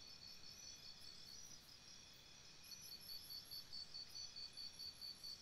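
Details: Campsite crickets at night keep up a shrill, rhythmic chirping, the pulses growing louder and more distinct in the second half, with a faint higher trill overhead.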